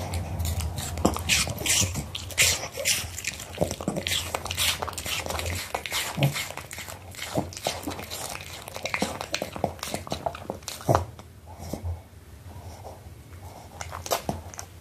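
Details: Smiling Pomeranian dog eating an apple, recorded close up in ASMR style: sharp, irregular crunching bites and wet chewing, several per second with brief pauses, over a low steady room hum.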